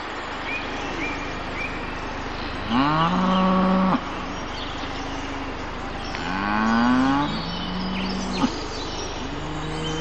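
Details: Cows in a meadow, captured by a Mavic Air drone: two long, drawn-out moos, the second rising slightly in pitch, about three seconds apart over a steady broadband hum.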